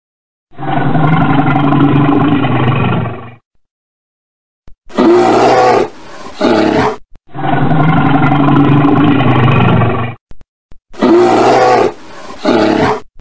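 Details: Bear described as a red bear, giving long, low, harmonic groaning roars of about three seconds each, alternating with rougher, broader growling bursts, separated by short silences.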